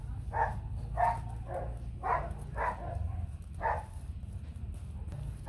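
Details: Bac Ha dog puppies, a fluffy white native Vietnamese breed kept with their mother at a farm, give short noisy yelps about six times over several seconds, spaced roughly half a second to a second apart, with human voices speaking nearby.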